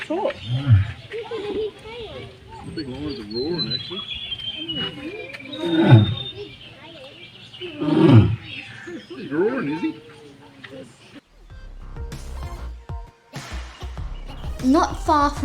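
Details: Male lion at Darling Downs Zoo near Toowoomba, marking his territory, gives low deep roaring grunts in bursts roughly every two seconds, with a man talking over them and music later.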